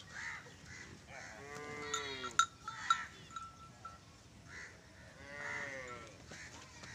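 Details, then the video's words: Nili-Ravi buffalo offered for sale in Pakistan, giving two drawn-out, falling harmonic moans, one early and one near the end, with sharp bell clinks between them and low voices of herders nearby. "nili ravi Buffalo"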